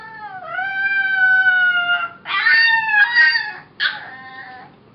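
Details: Puppy Mo, a young female foster dog since adopted as Molly, reported six weeks old, singing: one long level howl of nearly two seconds, then two louder, rougher wavering bursts.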